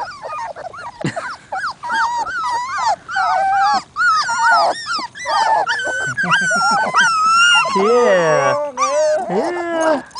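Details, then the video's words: Labrador Retriever puppies whining for attention, a loud, sustained chorus of wavering, high-pitched whines and yelps with bending pitch, several pups overlapping, briefly pausing around the four-second mark. "Sad Puppy Cries! (Labs whinning for attention)"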